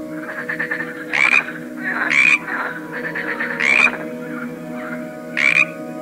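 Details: Croaking frog, one of various frogs gathered together: loud rasping croaks roughly every second, with softer rapid rattling, pulsed notes between them and a constant humming drone beneath.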